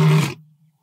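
A lion gives a single deep, rasping roar that breaks off abruptly and fades into a low rumble.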